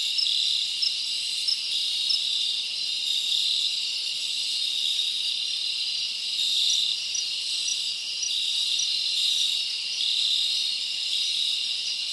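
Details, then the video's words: Night chorus of many crickets in a summer forest, a dense piercing trill steady in loudness, with periodic brighter chirps rising above the background hum. "Live Crickets Natural Sound"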